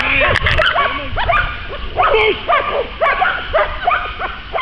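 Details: American Staffordshire Terrier at a dog training session at the START stadium in Poland, barking in short, harmonic, arching yelps repeated about twice a second, with a faint human voice at the start.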